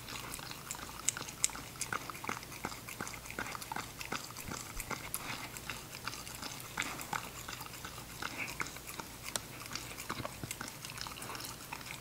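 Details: Puppy eating show of an English Cocker Spaniel called Ginger; dense crunching of food, close to three bites a second at an uneven pace, with a low electrical hum behind.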